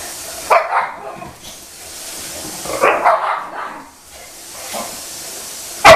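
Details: Bailey the Boxer annoying his older sister Scarlett: a few sharp, isolated barks spaced over several seconds, one short burst then a louder cluster midway and a final abrupt yip, quiet room between.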